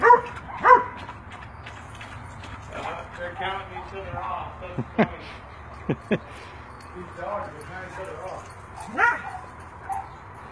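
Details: Sugar, a healthy 7-year-old spayed female Rhodesian Ridgeback mix up for adoption in Irving, Texas, described as a devoted watch dog; several short, sharp barks at irregular intervals over a person talking indoors.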